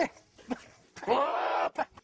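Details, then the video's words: Goat in a corral giving one wavering, nasal bleat lasting under a second, set between short bursts of Spanish speech from a man asking questions. "Goats making funny noises!"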